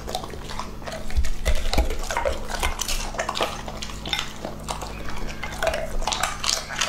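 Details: Lucky, an English Labrador Retriever of two and a half, munches steadily. Crisp crunches and wet jaw smacks come in quick irregular succession, about four per second, with deep thumps underneath and no other voices.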